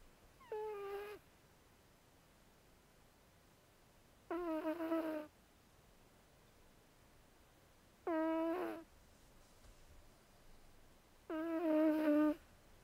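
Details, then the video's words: Sleeping pet cat Zoey, a female who almost always snores and does not meow, produces four buzzy, tonal snore breaths. They come roughly every four seconds, each under a second long, with near silence between them. "Snoring Cat; Zoey"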